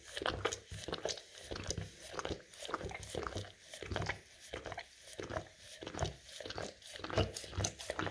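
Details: English cream golden retriever indoors working peanut butter off rough tile; quick, crisp scraping licks in an even rhythm, brighter and more crunchy in texture, with faint mouth clicks between strokes.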